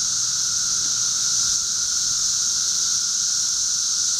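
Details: Backyard chorus of 13-year cicadas, Charleston, Illinois, June 1, 2011, a constant shrill sizzling wash of many insects with a lower steady hum underneath, no pauses throughout.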